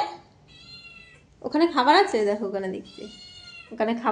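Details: A pet cat indoors gives one long, loud, wavering meow that bends up then down, followed by the start of a second, with faint thin whistly tones in the quieter gaps.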